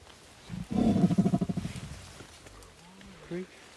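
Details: Wild mountain gorillas mating during a trek in the mountains of Rwanda, the female in heat; a rapid series of low, pulsed grunting calls lasting about a second, followed by quieter faint sounds and human voices nearby.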